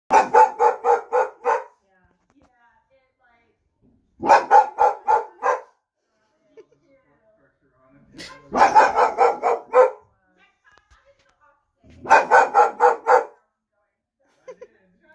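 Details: Boxer dog barking to scare off a supermarket delivery van, mistaking a figure on it for a real person; four loud bursts of about six rapid deep barks each, separated by pauses of two to three seconds.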